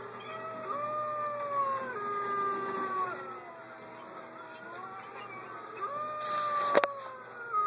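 Wolves howl together in long, smooth tones that slide up and down and overlap.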